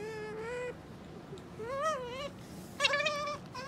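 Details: Pet otter indoors making three softer, drawn-out whines, the middle one arching up and down and the last one wavering, with low room noise between them.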